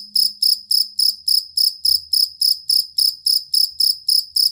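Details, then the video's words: Cricket, jangkrik kalung or fighting cricket, played as a master recording for training contest songbirds: bright, high-pitched chirps, each a quick pulsed burst, repeated steadily about three to four times a second, with a faint low hum beneath. "Suara Jangkrik Master Burung"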